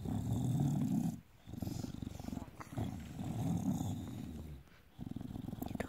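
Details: Bulldog growling contentedly while having its belly rubbed: a deep, rapidly pulsing rumble in long bursts, broken by brief pauses near the second and fifth seconds.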